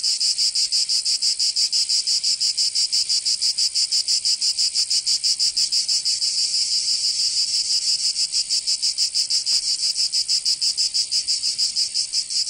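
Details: Provençal summer cicadas in southern France keep up an intense high-pitched buzzing that pulses evenly about three times a second, dipping slightly in loudness midway before returning to full strength.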